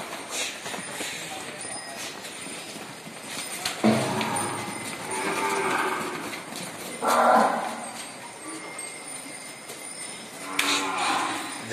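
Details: Gir calves at the ISKCON goshala in Talasari, Maharashtra, let out a few short, harmonic moos near the middle, set against a constant background hiss and faint bell-like ringing.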